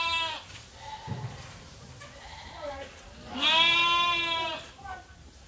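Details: Sheep on a farm waiting for their feed during daily feeding chores: a soft, short bleat early on, then one loud, wavering bleat of about a second, with a brief voice and rustling between calls.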